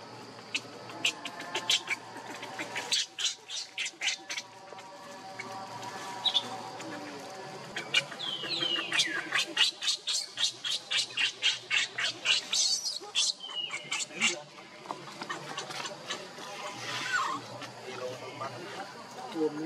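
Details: Baby monkey Leo cries for milk from its mother in long runs of fast, shrill pulsed squeals. The pulses come several per second in bursts lasting a few seconds, separated by quieter stretches with a steady background hum.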